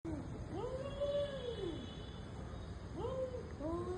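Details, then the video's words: Cats in an intense fight, trading drawn-out wailing yowls that rise and fall in pitch, one long howl near the start and another building toward the end, over a steady background hiss. "Cats and their personal intense fight"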